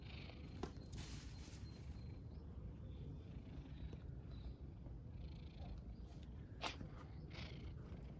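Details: Stray tabby cat on the streets of Istanbul, purring as it seeks attention and food; continuous deep, even rumbling purr with a few soft clicks and rustles over it.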